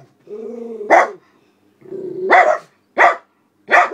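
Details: Alice and Charlie, senior black Miniature Poodles on guard at a house window, react to a person walking a dog outside: drawn-out whines that break into single sharp barks, each followed by a short pause.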